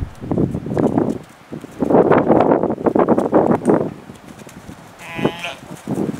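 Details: Young lamb exploring the adult sheep's pen for the first time on 20 December; wavering, nasal bleats in long harmonic bursts, several in a row with short pauses, and a brief high whistling tone near the end.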